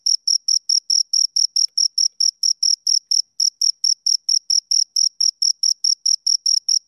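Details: Shrill, evenly timed chirps from two crickets, quick tonal pulses about two and a half per second, a tiny break just before the three-second mark, otherwise unbroken and free of other noise.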